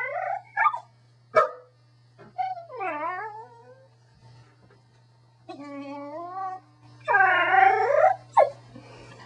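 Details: Corgi dog 'talking' with a varied series of yips, short barks and yodelling howl-like whines that swoop down and up in pitch, ending in a loud wavering howl and a final yip, with a low background hum.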